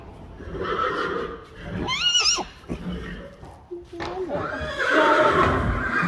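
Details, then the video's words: Friesian horse from a herd of 25 neighing: a short wavering high whinny, then a lower rising call and a longer harmonic neigh, with a person speaking in between. "Neighing horses. More than 100 times | April Fools' Day | Friesian Horses"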